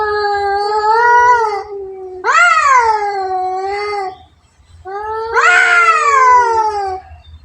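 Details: Two cats fighting: long, drawn-out harmonic yowls lasting one to two seconds each, wavering and rising then sagging, three calls with short pauses between, low hum underneath.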